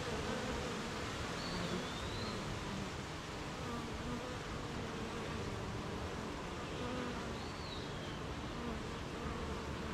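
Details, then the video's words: Honey bees at a beehive on a rainy morning, active while making honey: a dense, continuous low droning hum of many bees, steady throughout, with wavering buzz tones and two brief high whistled bird notes. "Beehive RainyMorning"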